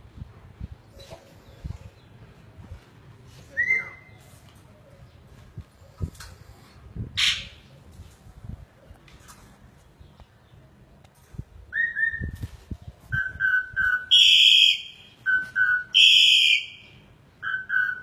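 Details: A Rottweiler, likely young, gives high, nasal whines in short level-pitched bursts that crowd together and grow louder toward the end, wanting to be let out to play, over soft knocks and handling noises.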